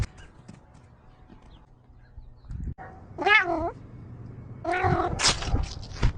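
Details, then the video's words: Domestic cat making small talk: after a soft thump, one wavering meow sounds, then a louder, harsher drawn-out meow mixed with clicks and noise near the end. "Small talk. 📣🐈"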